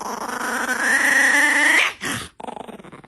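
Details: Angry pet dog voicing a tense, tonal whining growl that climbs steadily in pitch for about two seconds, then breaks off abruptly, followed by softer rapid pulsing sounds indoors.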